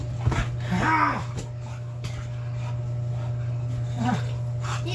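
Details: An American Bully dog at home reacting excitedly as its owner returns from work, giving short high whining whimpers with rising and falling pitch, a strong steady low hum beneath throughout.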